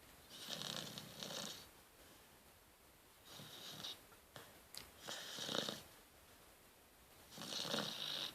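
A sleeping Rottweiler puppy snores in soft, breathy bursts every couple of seconds.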